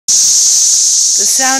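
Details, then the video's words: Cicadas swarming a parking lot in Tennessee; a loud, steady high-pitched hiss fills the air without a break, and a person starts speaking near the end. "Cicadas in the parking lot...."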